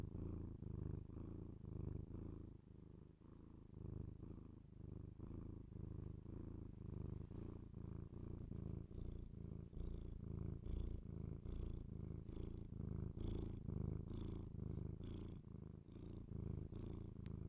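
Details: Purring domestic cat recorded binaurally for ASMR: a long, low, even rumble with regular breathing pulses, faint soft clicks and rustles above it.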